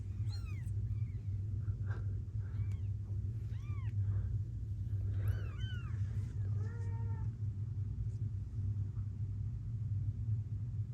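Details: Blue bicolour ragdoll queen Gambit, at an Australian breeding home, purring during the birth of her litter: an unbroken low throbbing purr underlies several thin, arching kitten mews in the first seven seconds, then the purr continues alone.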